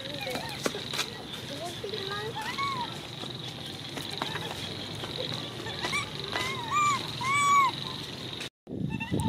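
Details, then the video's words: Baby monkey Coco screaming: a few short arched, harmonic wails come late in the stretch, each rising then falling, over a constant hum, with people talking and some clicks and knocks around them. "Baby Coco is good at screaming"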